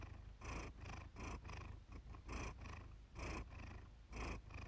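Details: Cat named Iris purring close up, recorded one evening by chance. A rumbling, grainy purr surges in soft bursts about once a second as the cat breathes in and out.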